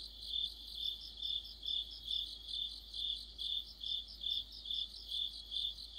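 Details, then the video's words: Deepening autumn sounds of crickets and friends by a streetlight, a shrill, even chorus of pulsed chirps beating about twice per second, one strong steady singer over softer high trilling neighbours. "가을의 한 복판 곤충들의 합창"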